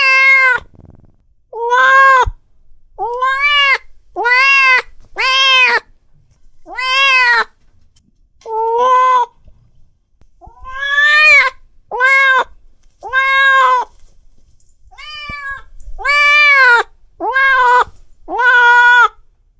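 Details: Angry domestic cat meowing repeatedly: fifteen short, sharply arched harmonic wails in quick succession with brief pauses, each rising then falling, clean and loud with no other sounds.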